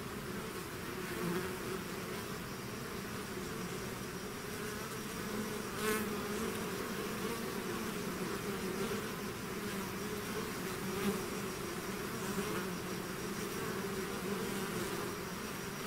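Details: Bee swarm pouring out of its hive, a dense continuous drone of many wingbeats with steady low hum bands and occasional brief louder passes of single bees close by; no other sounds.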